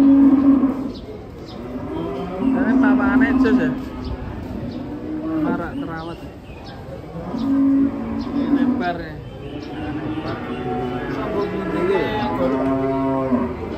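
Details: Giant cattle unloaded from a truck: loud, drawn-out moos rising and falling in several bursts, with shouting voices and crowd noise between the calls.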